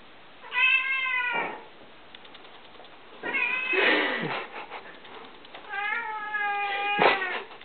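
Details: Domestic cat indoors, frustrated at not knowing what to attack: three drawn-out, strongly harmonic meows about two seconds apart, each sliding slightly downward and ending in a short harsh burst, with quiet room background between calls.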